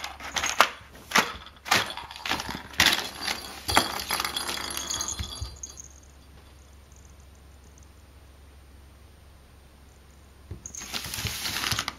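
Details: Sharp jangling and clattering knocks in a small room for several seconds, then near quiet, then a burst of rattling at the end.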